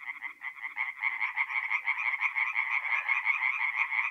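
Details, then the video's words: Night chorus of tree frogs at a forest pond in north-eastern Italy in mid-April, fast rhythmic croaking pulses stacked into a continuous rattling wall of sound, slightly quieter at the start. "relaxing forest pond by night with singing tree frogs"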